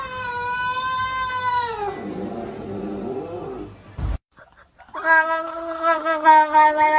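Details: Domestic cat meowing: a long harmonic meow sliding downward, a murmured lower sound, a short gap, then a strong steady meow with slight wavering.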